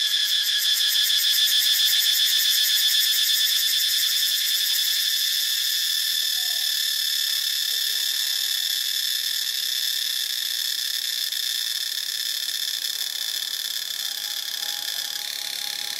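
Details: In Ubon Ratchathani, Thailand, cicadas produce an intense high buzz, rapidly pulsed and throbbing at first, then smoothing into a steady shrill drone that eases slightly toward the end.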